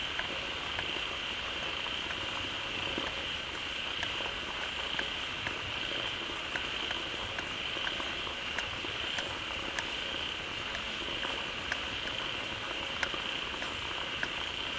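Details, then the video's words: Many frogs crowd into a pond freshly fed by falling water and call loudly. A continuous high droning chorus runs throughout, dotted with sharp clicks and ticks over a soft watery hiss. "เสียงฝูงกบร้องดีใจได้น้ำ Relaxing Sounds of Frogs"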